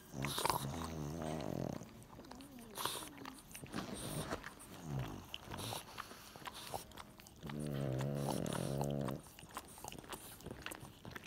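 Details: Loving pug with its little brother: two drawn-out, rough harmonic growls, one early lasting over a second and a longer one near the end, separated by snorts, clicks and shuffling.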